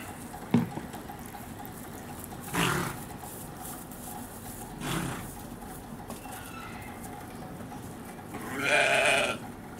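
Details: Lamb at Hamura Zoo in Japan giving three short, harsh bleats spread across the clip, the last one loudest and broadest, with a faint background hum between calls.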